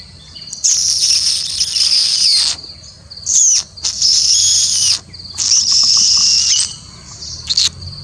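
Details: Indian palm squirrel, or three-striped palm squirrel, calling in long, harsh, high-pitched chattering bursts lasting one to two seconds, broken by short gaps, over a steady high insect-like drone.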